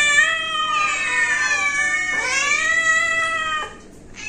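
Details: Pet cat giving two loud, whiny meows back to back, the first stretched for about two seconds with a bending pitch, the second shorter and falling before a quiet close.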